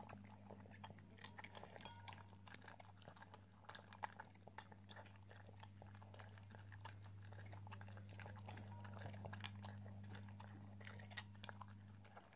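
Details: An Italian Greyhound chewing rapidly, giving a dense stream of small crunches and clicks, several per second, set against a loud, constant low hum.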